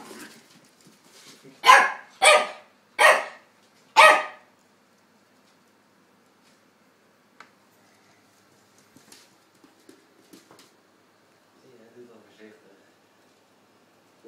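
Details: Two-year-old Chihuahua Tony and eight-week-old English Staffordshire pup Dexter at play; a burst of four sharp barks about half a second apart, then mostly quiet with small scuffling sounds and faint low murmurs.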